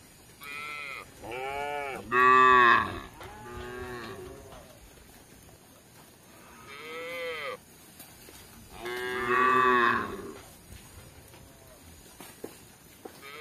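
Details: Tame cattle roaming a village in search of grass: a run of about six arched, harmonic moos over thirteen seconds, the longest and loudest near the start and again toward the end, against a quiet background.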